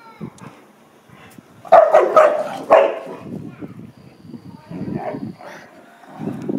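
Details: American Akita Pallas at play with a Chow Chow: two loud harsh barks close together, followed by lower rumbling growls and grumbles, with faint Dutch speech.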